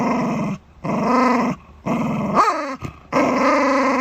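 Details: Shiba Inu growling while guarding its dental chew: rumbling, engine-like growls in long bursts of about a second, broken by short pauses, with one rising whining note in the middle.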